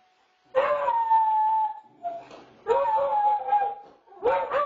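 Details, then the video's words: Two beagles howling together in a duet, caught on a home security camera; long wavering howls lasting over a second each, overlapping pitches, followed by a rising yelp at the end. "Beagle Duet"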